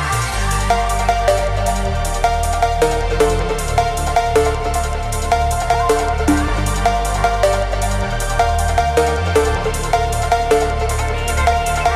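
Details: Driving electronic dance music with pulsing bass and regular synth beats, and no animal sound anywhere.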